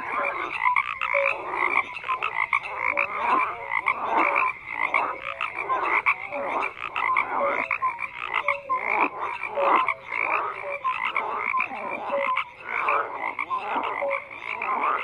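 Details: A long, unbroken frog chorus of rapid, throbbing croaks from many callers, steady and dense throughout with scattered short clear notes.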